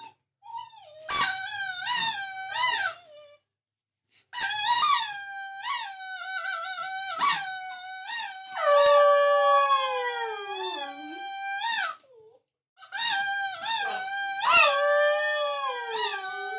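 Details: Dog singing along in long howled phrases, wavering and gliding tones with rich harmonics, one long note sliding downward near the middle, separated by short silences.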